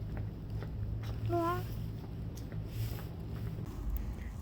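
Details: Mameow, a stray cat back home after TNR, gives one short meow of about a third of a second, steady and slightly wavering, over a low hum with a woman's soft talk nearby.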